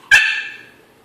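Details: Diesel, a pet Yorkshire Terrier held behind a baby gate at home in Maryland, barks at his Pitbull sister Jazmin, whom he wants to reach: one sharp, high yip that fades quickly into a quiet room.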